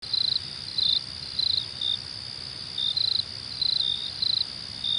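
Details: Cricket chirping: short high trilled pulses repeated about every half second to second, over a steady continuous high insect drone.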